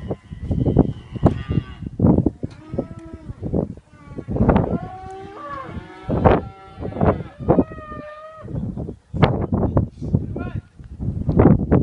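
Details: Young Kalmyk cattle bulls held for sale; repeated drawn-out moos with rising and falling tones from several animals, overlapping one another, alongside dense low thumping and knocking sounds throughout.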